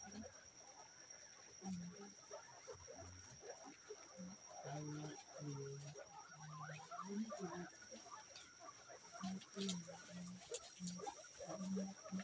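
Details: A local guinea pig gives short, low grunting and purring notes in uneven bursts over a busy background.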